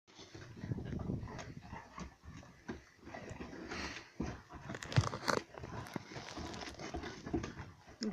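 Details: Angry Husky growling while eating a bone indoors; low, rumbling, broadband growls run almost continuously with chewing and gnawing noises mixed in, rising in brief louder bursts.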